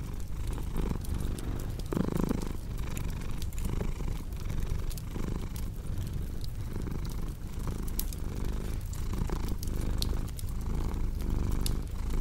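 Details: A cat purrs in a low, even rumble that rises and falls rhythmically roughly every second, while a crackling fireplace adds frequent dry pops and clicks on top.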